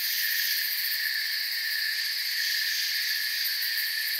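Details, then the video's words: Forest crickets chirping together in an unbroken high shimmer. Several pitch bands drone at once at a constant loudness, and fine rapid pulses run through the top layer. "Forest Sounds and Crickets for 10 hours"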